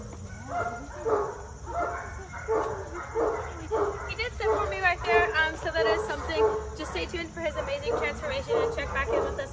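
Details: Repeated barking from a German Shepherd mix dog in training: quick, loud, rough barks tumbling out in irregular bursts, with a continuous low hum and faint music underneath.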